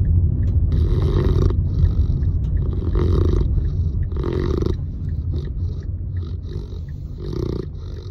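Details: Sleeping Saint Bernard puppy snoring loudly, with deep rough rasping breaths that swell in bursts every second or two over a steady low rumble.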